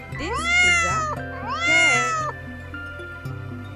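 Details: Cat presented among farm animals in a children's lesson, giving two drawn-out wavering meows about a second apart, followed by soft background music.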